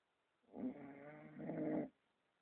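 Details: Pet dog in Romania snoring while asleep indoors: a single rough, rumbling breath lasting over a second, with a brief dip midway, then quiet.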